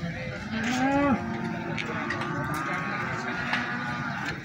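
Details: At Plaosan cattle market in Magetan, a sale-bound feeder bull or cow gives one short moo that rises and then drops sharply, followed by the murmur of people talking.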